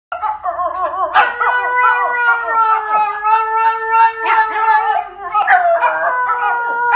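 Italian Greyhounds howl together in long, wavering, overlapping tones that rise and fall.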